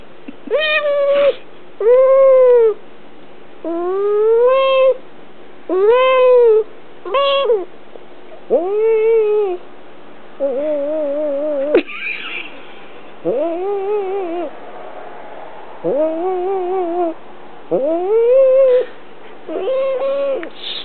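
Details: Female domestic cat whining while held indoors, slightly annoyed but content to stay held; a long series of drawn-out, wavering mews, rising then falling, repeated about every second with short pauses, with a faint rustle midway.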